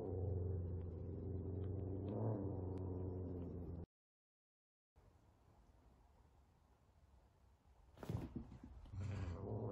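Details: F2 Savannah cat, a big cat frightened by a little kitten during their first time together; a steady, deep rumbling growl for several seconds, then a silent gap, handling noise and a brief, low growl again.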